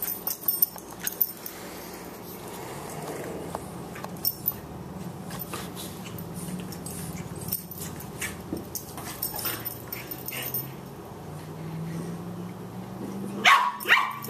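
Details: Boxer puppy Margie, 14 weeks old and 18 pounds, roughhousing with elder Boxer Lou Dog: long low growling drones rise and fall under scattered thumps and clicks of paws, ending in a louder burst of scuffling.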